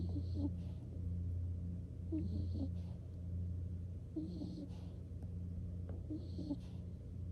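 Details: Skunk named Nikko falling asleep and snoring: soft, breathy snores recurring about every two seconds, each with a faint airy hiss, over a steady low hum.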